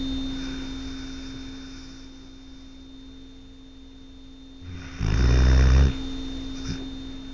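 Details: Tucker, a pet dog, asleep at night, lets out one loud, low, rattling snore lasting about a second after a quiet breath, over a constant background hum.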